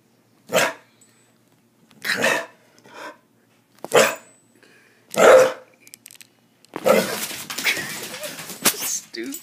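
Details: Single loud dog barks come about every one and a half seconds, five in all, followed by a longer stretch of rough, noisy vocal sound mixed with what may be a human voice.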